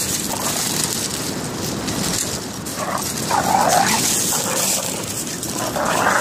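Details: Staffie/whippet cross lurcher puppies, five months old, on the beach for the first time: thin, high whines rise and fall a few times, half buried under steady roaring wind.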